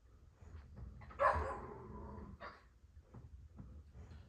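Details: Dogs playing together indoors, described as the girls at a kennel; one short harsh bark, then softer scuffling and a brief second yelp over low thumping of movement.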